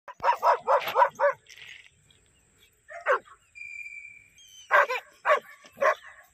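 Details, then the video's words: German Shepherd barking during attack training: a rapid burst of five sharp barks, a pause, then scattered barks, a brief high whine, and a final cluster of three barks. "Attack German Shepherd Dog"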